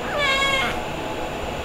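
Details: Female white kitten with orange and grey markings, about four months old, rescued and up for adoption, described as talkative; a single clear, bright meow rising then falling, under a second long, in a quiet indoor room.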